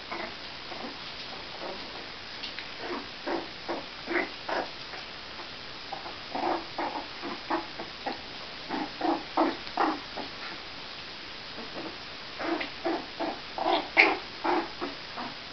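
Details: Four-week-old Jack Russell Terrier puppies at a kennel, giving short squeaky yips and grunts in irregular clusters, several overlapping, with faint shuffling between calls.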